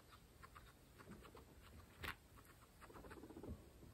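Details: Pregnant female guinea pigs from a group of 26 munching fresh grass, recorded close up for ASMR: quick crisp crunching clicks and soft rustles, uneven in rhythm, with a louder snap near the middle.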